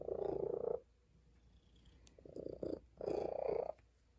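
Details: Female tabby cat resting on a table, purring softly in a steady rumbling drone that swells and fades in three breath-like bursts, with quiet room background.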